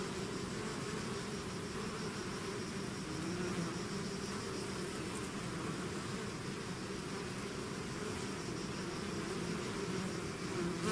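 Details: A bee swarm outside its hive keeps up a steady, hissy drone, low humming tones blended into broad background noise, level and unchanging throughout.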